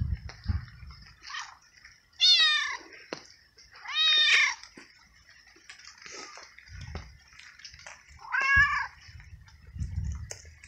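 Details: Drenched stray male cat found unsheltered in the rain, then fed treats; meowing often, perhaps because of the cold. Three loud, arched, strongly harmonic meows about three seconds apart, with fainter calls and low thumping noise around them.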